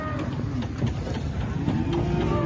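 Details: Raging cattle, hard to control, giving low, drawn-out harmonic moos under a steady rumble, with men's voices talking nearby.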